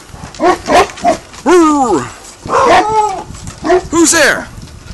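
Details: Dog named Hannah, practising guard duty, lets out drawn-out, arching yelping barks with strong harmonics, mixed with a person's voice insistently asking "Who's there?"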